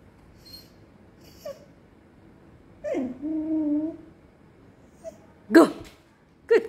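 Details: Hungry female Samoyed puppy, kept waiting during training in front of a meal table, gives one drawn-out tonal whine that dips then holds steady for about a second. Sharp breathy snorts and sniffs follow near the end in a quiet indoor room.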